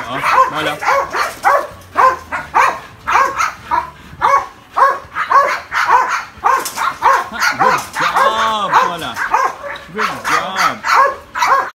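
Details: Nearly two-year-old Belgian Malinois barking excitedly: quick bursts of harsh, tonal barks about twice a second, with higher whiny yelps mixed in and human speech audible underneath.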